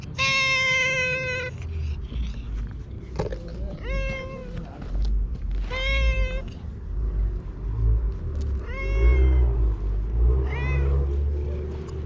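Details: Stray cat at a shrine, very talkative while being petted and patted: a long drawn-out meow followed by several shorter rising meows spaced about two seconds apart, with a low rumble of handling and wind underneath.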